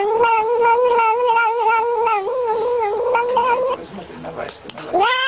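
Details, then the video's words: Drinking milk from a bottle, a noisy kitten gives a long steady whining cry for almost four seconds, drops into softer broken squeaks, then starts a new rising wail at the end. "Kucing buat bunyi bising sambil minum susu botol"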